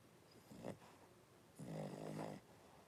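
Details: In a home puppy pen on 26 January 2023, five Blenheim Cavalier King Charles Spaniel puppies born at New Year lie with their mother Paris; a short snort comes first, then a nasal, wavering whine of almost a second.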